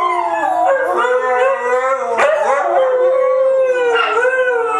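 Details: Chorus of three white huskies howling in unison, several overlapping drawn-out tones bending up and down continuously without a break.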